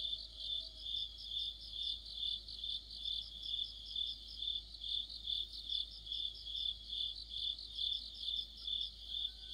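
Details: Autumn insect chorus led by crickets: a continuous shrill, high-pitched chirring that swells and fades in regular beats, about two per second, over a faint low rumble.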